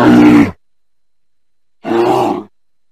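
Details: Two deep, rasping bear grunts, each about half a second long, well apart, with silence between.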